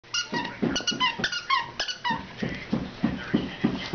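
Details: Two puppies, Raider and Thurston, at play: rapid high, squeaky yelps with ringing overtones come in short bursts, mixed with low rough grunts and growl-like noises, roughly three sounds per second throughout.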